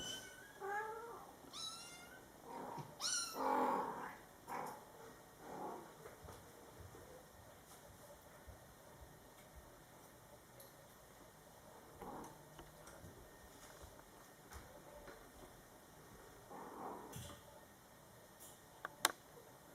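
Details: Scottish Fold kittens born July 22, 2012, in their first month, with mother cat Coco talking to them; a few high mews in the first four seconds, then a long quiet stretch of room hush.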